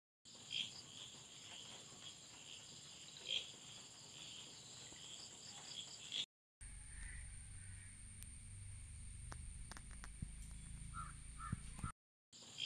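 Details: Crickets in a garden ecosystem with butterflies and flowers: a steady, high, shrill trilling runs throughout, with a few brighter chirps. Two short silent breaks and a low rumbling noise come through in the second half.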